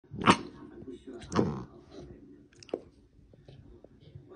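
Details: Labrador Retriever puppy 'speaking' to its dad indoors: two loud, broad, throaty vocal bursts about a second apart, followed by a short sharp yelp and softer low murmurs.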